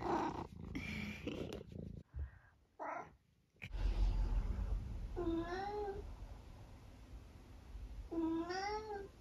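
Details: Nearly 12-year-old long-haired tabby cat from the UK, one of his varied meows, squeaks and mrrps; after scuffling indoor noises and a brief gap, two clear rising-then-falling tonal meows about three seconds apart.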